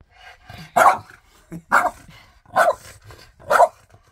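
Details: French Bulldog arguing with its owner over shoes: four loud, harsh, grumbling bark-like outbursts, about one every second, with quieter muttering between them and laughter nearby.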